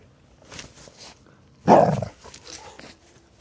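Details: Tibetan Terrier indoors, not happy to be disturbed, giving a short low rough growl-bark burst at mid-clip, framed by faint quieter grumbles before and after in a small room.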